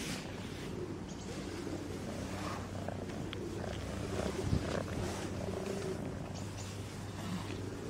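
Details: Fluffy kitten purring while playing with fingers: a steady low rumbling purr runs unbroken through the whole stretch, with faint soft rustles and light handling sounds.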